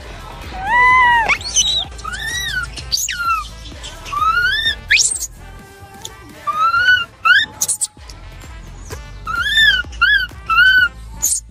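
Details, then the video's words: A monkey gives high, arched whistles that rise and fall, repeated in quick, bright bursts. "可有些猴子是这样叫的。"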